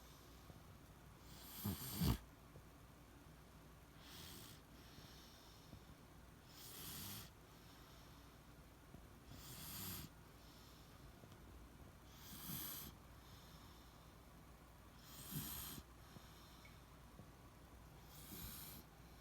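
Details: Deeply sleeping Beagle Shiloh gives a steady run of seven raspy snores, one roughly every two and a half to three seconds. The first is a loud snorting rattle, and the rest are softer hissing breaths.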